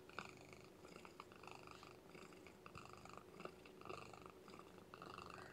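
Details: Lethargic, underweight newborn female kitten with no littermates to keep her warm, being fed and warmed indoors; faint, thin high mews repeat about every half second over a soft background hiss.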